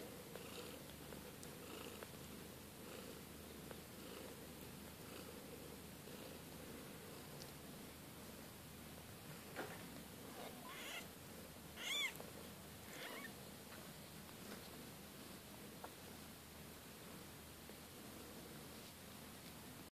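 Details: Young Siberian kittens from the litter of Kate and Bessie purr in a low, steady rumble that runs throughout, broken once near twelve seconds by a short high chirp, with light rustling and clicks in a quiet room.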